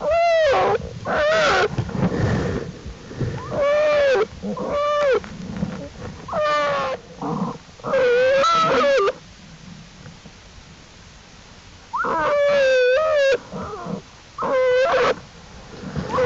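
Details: Jewel's black bear cubs venturing from the den beside their mother, April 2, 2012, Wildlife Research Institute study bears; repeated tonal bawling cries, some wavering and trilled, in bursts with a quiet gap midway.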